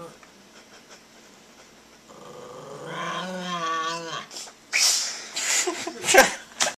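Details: Indoors, a Maltese dog holds its ground against a hostile-faced child: a wavering growl of about two seconds swells and fades, followed by sharp scuffing and clattering noises and faint voices.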